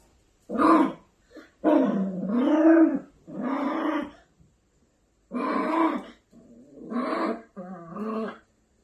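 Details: Angry Maltipoo puppy giving drawn-out harmonic growls and whining grumbles, each lasting up to a second or more, separated by brief silences.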